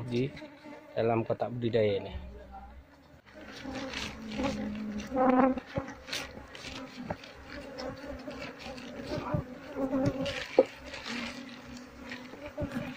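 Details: Wild Asian honey bee colony being relocated to a hive box while its queen is sought; a brief human voice at first, then a sustained droning hum of many bees with intermittent clicks.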